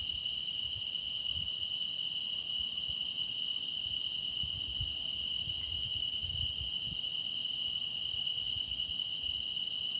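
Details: Continuous song of grass insects, a constant high-pitched ringing drone with thinner, higher trills wavering over it; no pauses, only faint low background murmur.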